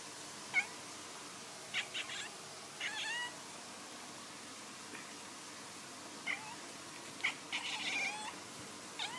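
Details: Domestic cat giving weird sounds: scattered short, sharp chirps and brief rising trills, some in quick pairs, separated by pauses of one to two seconds.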